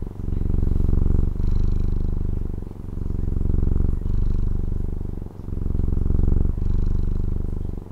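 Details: Close, continuous purring of a pet cat in Taiwan, a low pulsing rumble that swells and eases with each breath, about every one and a half seconds, with brief dips between the inhale and exhale phases.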